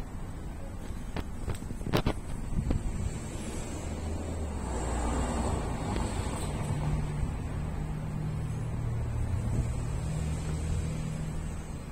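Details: Low rumbling vehicle and wind noise with a few sharp knocks, and no animal calls.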